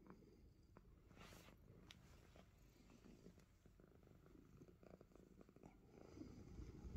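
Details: Deep rhythmic purring from a finger-biting Himalayan Persian cat, the soft rumble continuing evenly and swelling slightly louder toward the close, with occasional faint clicks.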